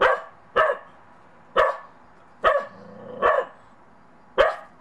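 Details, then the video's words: Monty, a Bedlington Terrier puppy out in snow for the first time, barks at a child's snowman he is unsure of: six short sharp barks spaced roughly one second apart, with a quiet background. "MONTY THE BEDLINGTON TERRIER PUPPY UNSURE OF THE SNOWMAN"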